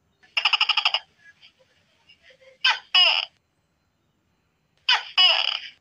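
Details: A night-time tokay gecko starts with a rapid pulsed rattle of about eight clicks, then delivers two harsh two-syllable calls, short note then longer rasping one, about two seconds apart.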